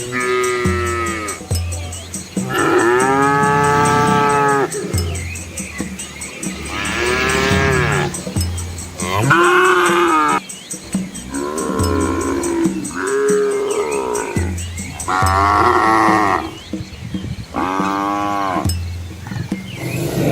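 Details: Asian village cows with calves walking along a quiet rural road past green rice fields, several animals mooing in turn: long harmonic moos, some rising and falling, roughly every two to three seconds, with a steady high hiss throughout.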